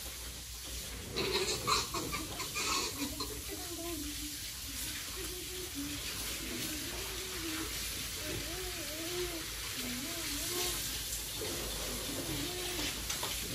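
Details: Domestic pigs raised for sale on a family farm give a steady run of short, arched, nasal grunts and squeals, several per second, over constant hissing running water.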